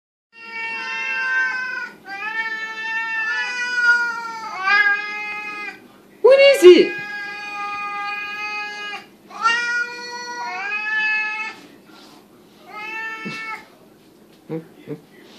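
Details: Several Siamese cats indoors, loud and demanding their food at feeding time, which comes every morning and evening. They give a run of long, harmonic, rising-falling meows in quick succession, with one sharp squealing cry in the middle. A man talks in the background.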